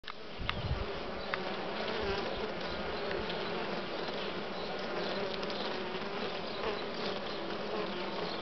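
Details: Western honey bees in a hive with uncapped brood, larvae of various sizes visible in the cells before capping; a steady dense hum fills the recording with low droning tones and occasional faint clicks.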